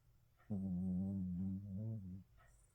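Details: Snoring Shih Tzu: one drawn-out, droning snore of nearly two seconds, low and buzzy with a slight wobble in pitch, followed by a faint breath in near silence.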